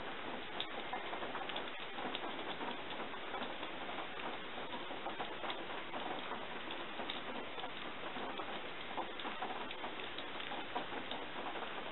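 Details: Steady patter and ticking like rain or dripping, with no animal voice heard. The sound stays even throughout, a dense rustling hiss with scattered small clicks.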